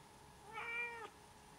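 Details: A domestic cat gives a single short meow, about half a second long, that rises slightly and then falls away, heard over a steady low electrical hum in a quiet room.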